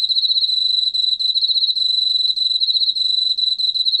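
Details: Unbroken four-second stretch of an Emma field cricket's song: a bright, high, buzzing trill of quick regular pulses with a gentle wavering in loudness. Very quiet low background.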